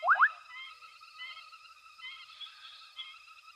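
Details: Frogs chorusing at night at Hwange Safari Lodge as an elephant herd with a small calf forages nearby; steady layered trilling at several pitches throughout, opened by a loud, quick pair of rising sweeps.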